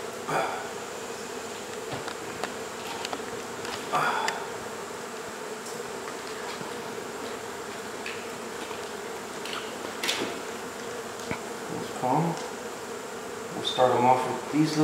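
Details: Swarm hum of honey bees as their wall hive is cut out and relocated inside a house in Mission, Texas; a constant mid-pitched drone fills the clip, with scattered knocks, handling clatter and faint speech.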